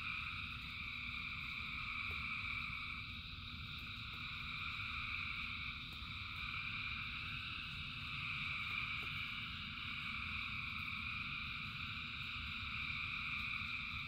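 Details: Rain falls while a huge crowd of frogs sings: overlapping high-pitched trilling bands drone on without pause, gently rising and falling in loudness above a low, rushing rain noise.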